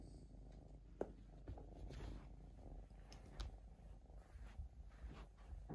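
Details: Young female Siberian Forest kitten indoors, enjoying attention from her dad; a low, steady rumbling purr runs throughout, broken by soft clicks and rustling handling noises.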